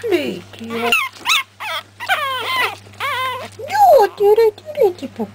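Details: Young Pekingese puppies, three weeks of age from the MJ litter, squeal and whine in quick wavering cries that bend up and down, mixed with short spoken words from a person nearby and a low electrical hum.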